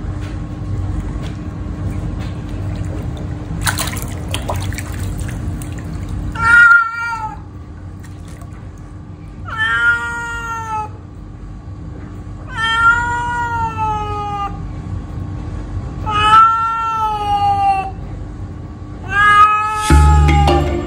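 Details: A domestic cat angry at bathtime gives loud, drawn-out, complaining meows, one every few seconds.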